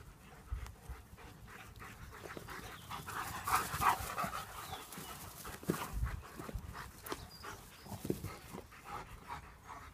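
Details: German Shepherds playing: quick, breathy panting that repeats about three times a second, with louder rasping bursts around the middle and scattered soft thumps of movement.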